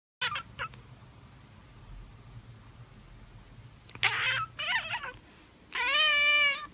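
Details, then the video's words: A tabby cat gives brief chirps, then a quick stuttering chatter and a drawn-out, harmonic-rich trill. "Tabby Cat Billie's Chattering and Chirping"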